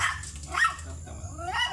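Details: Thai import line Pomeranian dog at stud service in Mangaldan, Pangasinan: two short, sharp yapping barks, one near the middle and one at the end, over a steady low hum with people talking nearby.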